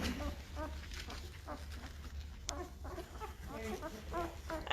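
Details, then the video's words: Five-day-old Great Bernese puppies, a Great Pyrenees and Bernese Mountain Dog cross, in a litter: short high squeaky squeals and whimpers in scattered bursts, with a steady low hum beneath and a few human words. "Great Bernese Puppies are 5 days old and getting noisy!"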